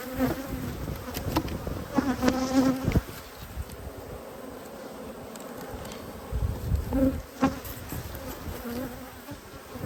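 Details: Colony of honey bees buzzing in an opened hive during an Australian beekeeping inspection on 19 March 2022, a continuous low hum broken by short clicks and knocks of frames being handled.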